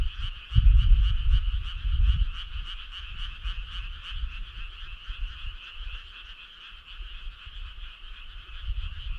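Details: Summer-night frogs croaking in chorus, quick pulsed trills repeating about three times a second, partly masked by heavy low-pitched rumbling that is strongest early on.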